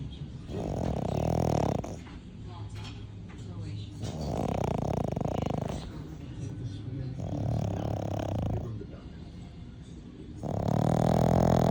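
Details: Sleeping French bulldog snoring loudly, long rasping rumbles each lasting about one and a half to two seconds, separated by quieter breaths, four snores in a row.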